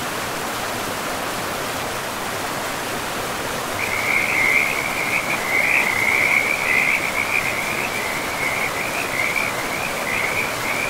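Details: Frogs calling beside a river in a forest, a steady trilling band of calls entering after a few seconds of plain rushing water and continuing, pulsing slightly, over the constant broadband roar of the flowing river.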